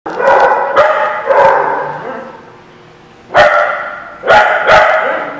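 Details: Dog barking in a lot, loud harsh barks in two bursts, several in quick succession, with a quieter pause between.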